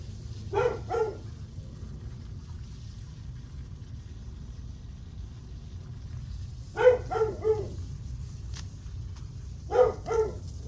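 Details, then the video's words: Dog barking on a July 9 morning at 8:38 am, giving bursts of two or three quick barks separated by several seconds of low background hum. "Barking dog"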